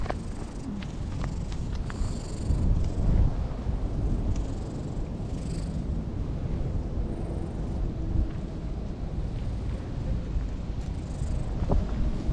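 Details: In a park in Japan, an elderly stray cat warms itself in the sun and rolls about, purring in a deep, even rumble throughout, with faint high rustles and distant outdoor background sounds.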